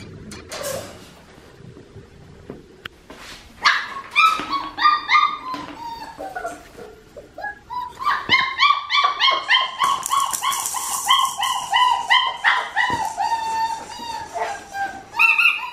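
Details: Australian Shepherd puppies crying at Fifteen Acre Farms, Oklahoma, on 16 November 2019; high, wavering whines and yips come in quick overlapping bursts, several voices calling over each other, rising and falling in pitch.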